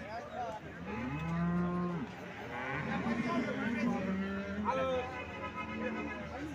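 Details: Cow lowing at the Alephata cattle market, 21 March 2024: a sustained, steady moo lasting a few seconds with a stacked harmonic series, followed by a second moo, over a background of market noise and voices.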